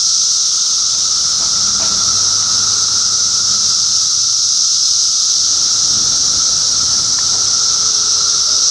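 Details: Unbroken droning chorus of cicadas in Middlesex County, New Jersey, June 2013: a loud seamless high buzz over a steady lower tone, with a few faint low rumbles and soft knocks in the background.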